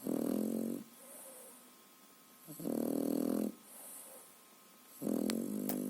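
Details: A three-and-a-half-month-old French Bulldog puppy, sound asleep, snores in loud, rattling, buzzy bursts about every two and a half seconds; French Bulldog.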